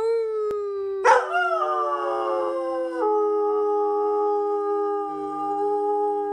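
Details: A pet greyhound sings, starting with a steady mid-pitched tone, then a sudden yelping break into a long, even howl that holds unbroken for over five seconds, with a slight drop in pitch partway through.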